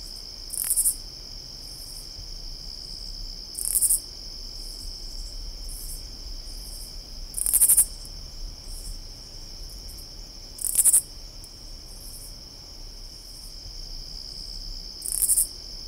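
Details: Katydid calling in summer: short, harsh, very high-pitched raspy bursts repeated about every three seconds, set against a continuous high, steady insect drone.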